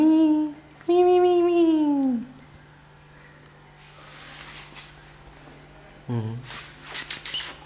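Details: Kittens at play and feeding time: a short falling meow, then a longer drawn-out meow that slides steadily downward over about a second, a low steady hum underneath, rustling, and one brief clipped call near the end.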